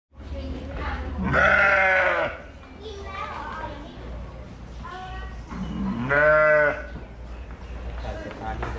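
A sheep gives two loud, wavering bleats a few seconds apart, with faint voices in between.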